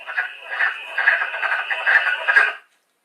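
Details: Wood frogs on Long Island give hoarse, clucking duck-like quacks that overlap, a group sounding like squabbling or talking ducks.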